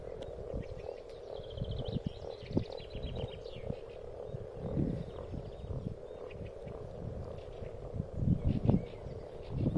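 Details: Spring spawning frogs in a pond: a steady murmur of deep, short clucking croaks from many animals, some louder grunting clusters near the end, and thin whistled bird calls in the background.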